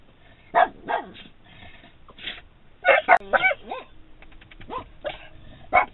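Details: A Boston Terrier and a standard poodle shut in a vehicle bark and whine at their owner outside, begging to be let out; short scattered barks and a brief whimpering run over faint background noise.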